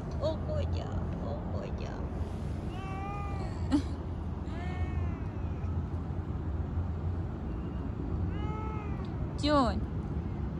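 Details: Stray street cat being petted, giving about four drawn-out, arching meows spread across the recording. Human speech comes early, and a steady low traffic rumble runs underneath.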